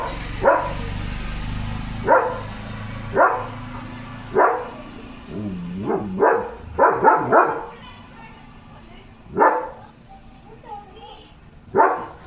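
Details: German Shepherd named Leo barking non-stop at another dog spotted outside on a farm; loud single barks spaced one to two seconds apart, with a quick cluster of four near the middle and faint talk between.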